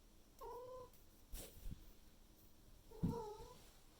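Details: Pet Maine Coon cat indoors in the morning, May 2021, loudly demanding food, trying to reach the living room where food and water are, calling out once the owner seems awake; two drawn-out meows about two and a half seconds apart, with thumping and rustling between.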